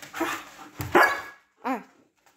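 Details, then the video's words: Siberian Husky named Baikal asking to go outside indoors: a short rising yowl, a louder drawn-out howling syllable, then after a pause a brief wavering whine. "Хаски говорит МАМА / БАЙКАЛ просится на улицу"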